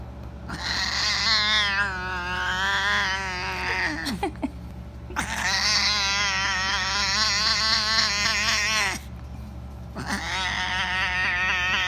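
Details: A domestic cat 'singing': three long drawn-out wavering yowls, each several seconds, rich and wobbling in pitch, separated by brief pauses, over a steady low electrical hum.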